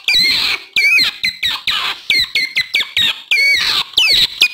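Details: Lure call of an otter for drawing in wild otters: high, bent chirps that twist up and down, given in a steady, uneven series of about one and a half per second, some harsh and buzzy.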